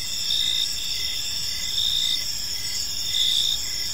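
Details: Park crickets at evening, several chirping together in a bright high trill, short pulses swelling and fading roughly twice a second against a quiet low background.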